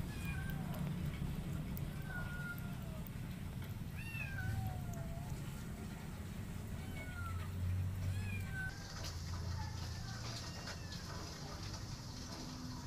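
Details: Rescue kitten living with a cat family, giving thin, high, repeated meows that bend up and down, scattered across the recording over a steady low rumbling background, with a broad hissing noise joining in the second half.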